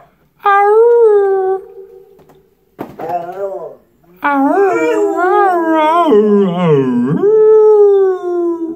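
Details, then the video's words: Marvin the pit bull joins his owner's singing at the mic: a steady opening howl, a short wavering break, then a long quavering howl that blends with a lower human voice before sliding down and trailing off. "Singing with my Pitbull."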